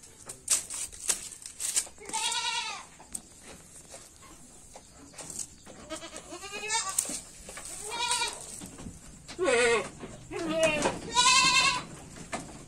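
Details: Loud, tremulous bleats from a red-headed Jamnapari goat, about five calls roughly every one and a half to two seconds, each shaky and nasal, with soft background clatter.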